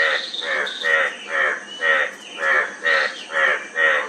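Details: Frog calling steadily: about nine short, harsh, buzzy croaks, each roughly a third of a second long, repeated about twice a second with even gaps, over a faint constant high hiss.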